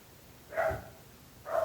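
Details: Two loud, ringing barks from dogs disturbing the neighbours, about a second apart.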